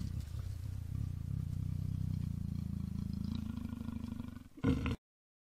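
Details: Mating North Chinese leopards, male and female, in Tieqiaoshan provincial nature reserve, Heshun County, Shanxi Province, China, in July; long low sawing growl of steady rapid pulses, ending in a brief louder snarl before silence.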